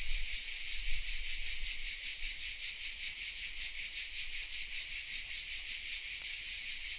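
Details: Hidden cicadas in the oaks of Vézénobres, a village in southern France, keep up a constant sizzling high-pitched song, pulsing evenly around two and a half times per second, with a faint low rumble at first.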